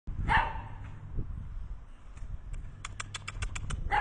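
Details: Xiasi dog, a rare Chinese breed, filmed on a trip to a rural breeder in Sichuan, China: one sharp, hoarse bark near the start, then a run of quick rhythmic clicks or taps and a final short yelp.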